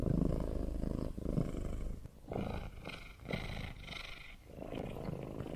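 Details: Pet cat purr, deep and buzzing, rising and falling with each breath in and out, with a faint higher rustle in the middle of the stretch.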